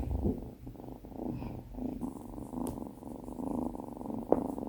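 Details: Binwoo, a female Tonkinese kitten on her first day home, purring indoors; a low, continuous rumbling purr with a few brief soft knocks and rustles.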